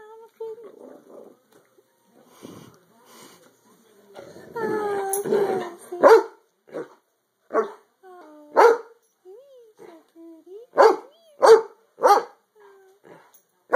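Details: Pet dogs being playful and goofy: drawn-out whiny, rising and falling yowls at first, then short sharp barks spaced roughly a second apart near the end, with a person's voice at times.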